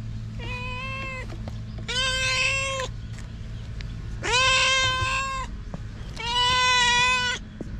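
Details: Stray cat meowing four times in a row, each cry drawn out and level with bright harmonics, spaced about two seconds apart and growing slightly louder, over a low steady hum.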